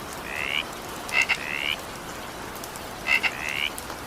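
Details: Frogs calling during evening rain: short, slightly rising tonal notes with a doubled harmonic band, some preceded by sharp double clicks, in three bursts over four seconds, above a steady hiss of rainfall.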